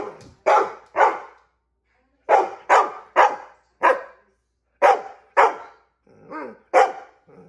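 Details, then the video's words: Female pet dog barks because she wants a treat: about ten short, sharp, loud barks, often in quick pairs, with a softer yip near the end and brief silences between bursts. "Dog barks because she wants a treat"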